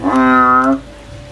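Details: A frog climbing a tree looking for a way out gives one loud, nasal, droning call lasting under a second, richly layered with tones, then silence.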